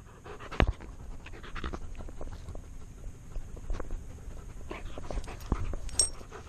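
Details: Tonka, a male Alaskan Malamute wearing a chest-mounted GoPro, breathes in soft continuous low pants, with a few faint taps and rustles from the harness and camera.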